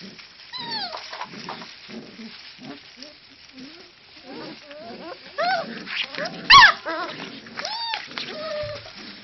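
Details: Five-week-old puppies at play, a busy mix of short low grumbling growls, high rising-and-falling whines and sharp yips overlapping one another, with one loud squeal near the end and light scuffling underneath.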